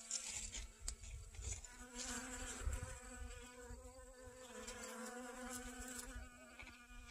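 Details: In a garden on 25 August 2021, honey bees gather pollen on sunflowers. A continuous, even buzzing drone holds throughout, with faint rustles and small knocks beneath it.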